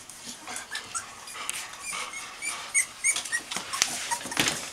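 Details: Dog puppies 19 days old, nursing and just beginning to stand and walk on four legs; high squeaky whimpers and short squeals come in irregular bursts over soft shuffling and suckling noises indoors.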